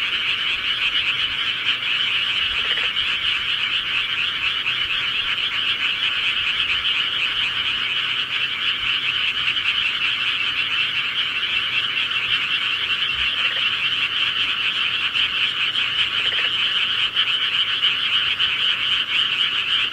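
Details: Countryside frogs calling at night: a dense, unbroken chorus of rapid high trilling croaks from many frogs, steady in loudness throughout, with a few faint low knocks in the background.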